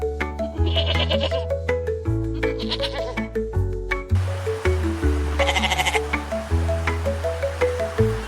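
Domestic goat bleats, short quavering cries, heard over steady background music.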